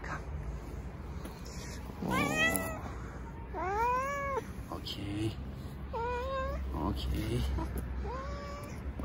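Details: Park strays in Istanbul crowding near a petted tuxedo cat, uttering brief arched meows, some rising then dipping, at intervals of one to two seconds, over a woman's quiet voice and low background hum.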